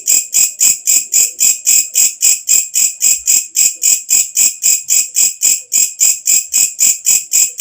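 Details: Walang kecek katydid, an insect that calls loudly as night falls and is used as a tutor sound for songbirds: a shrill, high, buzzy pulse repeated steadily, nearly four per second, about 28 pulses, with faint low hum beneath.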